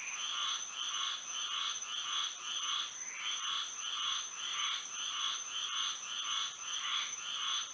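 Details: Night frog song from Florida by moonlight: rapid trains of rasping, twangy croaks, about one every half second, rise and dip in loudness, with a continuous high whine behind them.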